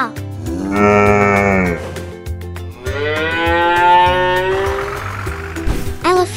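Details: Cow giving two drawn-out moos, the first steady and the second longer and slowly rising before fading, with a children's music track playing underneath throughout.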